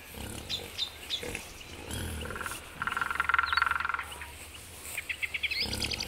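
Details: Wild boar, adults with young piglets, grunting low and rough with a burst of rapid, higher-pitched pulsed squeals in the middle, in Belovezhskaya Pushcha, Belarus, on 4 March 2014.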